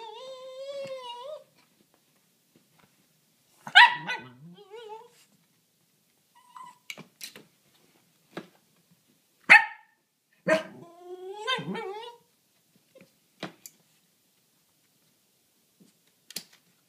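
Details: Dog addressing a rabbit behind a fence: a high wavering whine, then a series of short sharp barks, some trailing into falling whines, spaced irregularly with quiet gaps between bursts.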